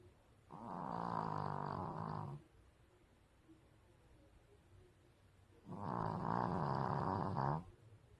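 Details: Dog snoring louder and louder, with two long, rasping, buzzy snores of about two seconds each, separated by a three-second pause of quiet breathing, the second snore slightly stronger, indoors.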